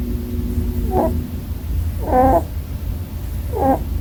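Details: Snores from a sleeping male Holland Lop rabbit kept as a pet: three brief buzzy, harmonic squeaks spaced over a second apart, the middle one loudest, with a faint steady hum underneath.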